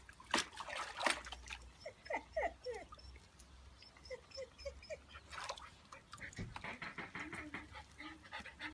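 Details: Three puppies playing and splashing in water, recorded on 29 July 2015; short high whimpering yelps in quick runs among splashes, with a human voice and water sounds.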